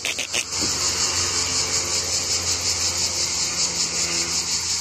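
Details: Cicadas singing beside a road near Palafrugell on a windy day, heard just after a cicada's shed skin was found; a loud unbroken high buzzing hiss fills the air, with a low hum of wind and traffic underneath.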